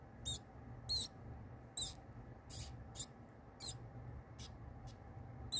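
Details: High, piercing squeaks from a pinky mouse gripped by the face by a feeding kingsnake, coming in irregular bursts roughly every half second to second, some loud and some faint, with low indoor hum beneath.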